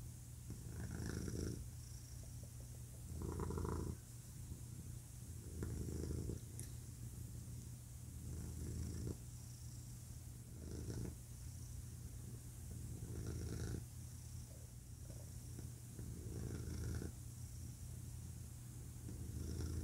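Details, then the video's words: A male pet cat purring: a deep, continuous rumble that swells into louder bursts roughly every two to three seconds with each breath, over a steady low hum. "Cat Purring"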